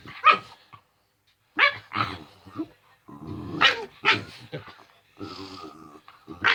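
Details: Household male dog at play, producing normal playing noises: short growly grumbles and higher whining yips in uneven bursts separated by brief pauses, with a steadier droning murmur near the end.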